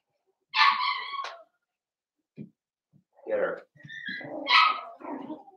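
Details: Cavalier King Charles Spaniel puppies, Daisy's litter of six merged with Robin's two remaining pups indoors: a high, harmonic whine lasting about a second, then after a pause a run of short yelps and squeaky calls.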